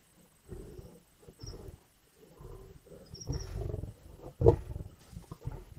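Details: Lions at a carcass in Indian bush, growling while feeding; low, grumbling growls rise into a sudden sharp snarl, with faint high chirps from birds or insects in the background.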